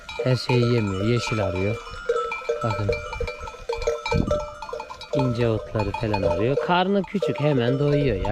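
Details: Akkaraman lambs newly separated from their mothers call out for them: a chorus of wavering, quavering bleats, several overlapping, in short bursts with brief gaps and a faint steady tone throughout.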